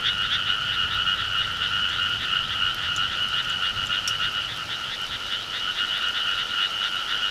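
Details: Frogs calling loudly in rural summer: an unbroken chorus of rapid, rattling croaks in two bright tones, steady throughout, with a few faint clicks above.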